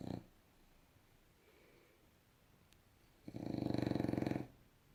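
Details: Bulldog lying on its back, snoring in deep sleep: the tail end of one snore, then a quiet pause, then a long, gravelly, rattling snore of about a second, pulsing with fine vibration.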